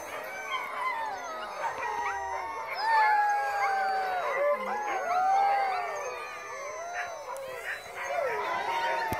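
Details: A large pack of about 140 sled dogs howls together in a dense, overlapping chorus of rising and falling wails.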